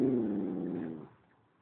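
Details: Romeo, a pet puppy who loves to communicate, gives a low, rumbling growl-like grumble that lasts about a second before fading into quiet room noise.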